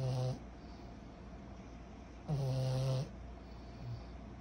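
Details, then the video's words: Snoring like a human, Kyro the 14-month-old pug puppy gives a short rasping snore, then after a two-second lull a longer, louder throaty snore, followed by a faint snuffle over a low background hum. "Our SNORING 14 months old PUG PUPPY"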